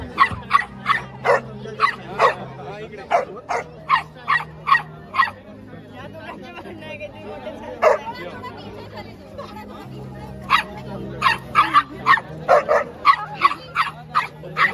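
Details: Shih tzu and Chow Chow dogs in a confrontation: rapid series of sharp high barks in two bursts, several per second, with a quieter stretch of low growl-like sounds and faint voices between.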